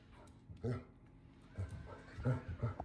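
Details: A Basset Hound, concerned about a new robotic floor-cleaning vacuum in the house, gives four deep, gruff barks, short and low, spaced unevenly over a few seconds.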